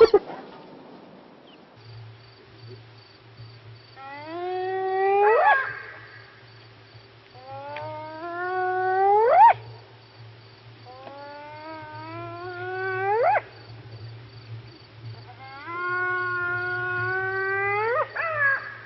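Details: Spotted hyena in Kruger National Park, South Africa, giving a series of rising whoops that sweep upward from low to high, one every four seconds or so, over a steady low hum and a faint constant tone.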